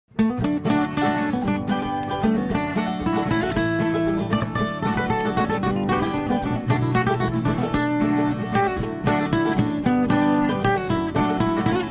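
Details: Plucked-string music, mandolin and guitar, plays steadily throughout with dense repeated notes and no animal voice standing out.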